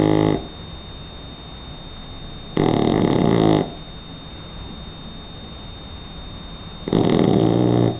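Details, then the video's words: Snores from Donna, a three-month-old Shar Pei pup asleep: three long, loud, grating breaths, each about a second, arriving every three to four seconds over a low background hum. "Donna Shar pei de 3 meses roncando"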